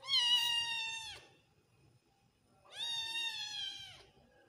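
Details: Persian kitten with odd eyes, a baby cat, giving two clear high meows about a second long each, tonal and harmonic-rich, holding steady then dropping slightly at the end, separated by a quiet pause of about one and a half seconds.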